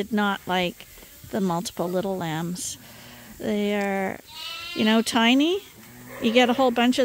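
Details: Bottle-fed lambs at Ewetopia Farms, still on their mothers but topped up twice a day, call in loud bursts. The bleats are quavering, some long and level, others dropping sharply, separated by brief quieter gaps.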